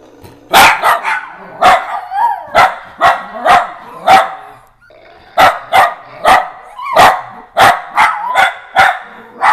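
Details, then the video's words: Pet dachshunds barking at sounds played from phone apps: a rapid series of sharp, loud barks in two bursts, several per second, with a short pause in the middle and fainter yelps between them. "weenies bark at apps"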